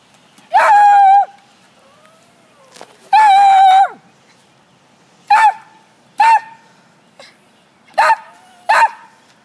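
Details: Domestic dog yodel barking: long, steady, tonal howling barks with rich harmonics, two drawn-out ones near the start, then four shorter yelping barks in pairs, with quiet gaps between.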